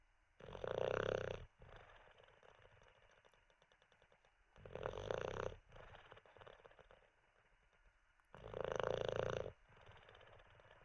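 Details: Olde English Bulldogge snoring while sleeping indoors after treats: three long, loud, rasping snores about every four seconds, with quieter breathy rattles between them.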